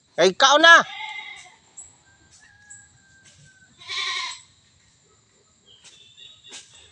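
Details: A playful goat, kept where pineapples grow, gives one short wavering bleat of quick quavering pulses in the opening second; afterward faint rustling, a brief breathy burst midway, then near quiet.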